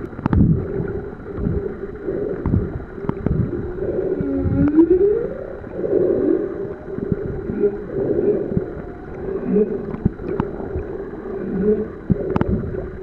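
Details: Underwater humpback whale song on Ningaloo Reef, Australia, heard while swimming with the whales: a bright upward-sweeping moan in the middle, followed by softer wavering tones, with gurgling water and faint clicks throughout.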